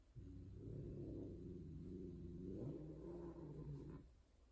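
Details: Female Persian cat, a tortie, yowling loudly indoors while mating with a white, odd-eyed, extreme-face tom: one long, low, droning harmonic wail of about four seconds, steady in pitch with a slight wavering rise near the end.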